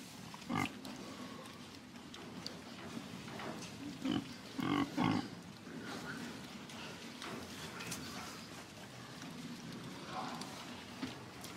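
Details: Domestic pig giving a few short, low grunts, one near the start and a closer cluster of three around the middle, over a steady background hum with no other clear sounds.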